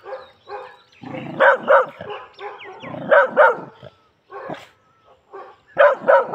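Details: Labrador Retriever barking aggressively, loud rough barks in quick doubled bursts recurring every second or so, mixed with lower growly sounds and brief pauses.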